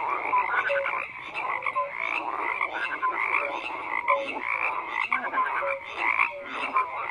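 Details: Steady frog croaking from many animals: dense rattling calls overlaid with short clear notes recurring every second or so.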